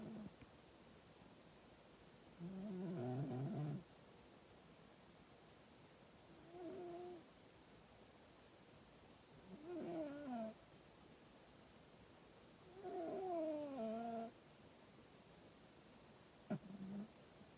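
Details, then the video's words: Female domestic cat snoring loudly in her sleep, loud enough to wake her owner: drawn-out voiced rasps that rise and fall, each about a second long, coming roughly every three to four seconds in a quiet room. "the cat snores so loud"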